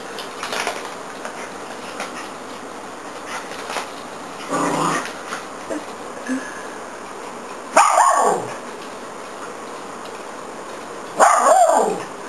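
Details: Two pet dogs playing with a zig-zag ball. Mostly quiet scuffling and faint low vocal sounds, then two loud, harsh single barks, one near eight seconds and another near eleven seconds.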